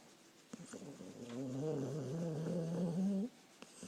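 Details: A dog snores in its sleep, a low droning breath swelling for about two seconds with a wobbling pitch that rises near the end before cutting off, small rustles around it.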